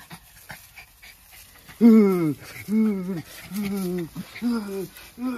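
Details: Two Jack Russell Terriers, close friends play-wrestling for fun: loud drawn-out whining growls, each arching up then down, five bursts over about four seconds with short gaps, over faint background noise.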